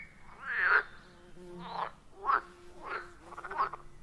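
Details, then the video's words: Wild frogs calling around a quiet forest pond, captured on an iPhone 14 Pro with a Shure MV88+: five mid-pitched, harmonic croaks in about four seconds, spaced unevenly, the last one breaking into a rapid pulsed rattle over a faint low background hum. "30 Minutes of Frog Sounds at a Forest Pond"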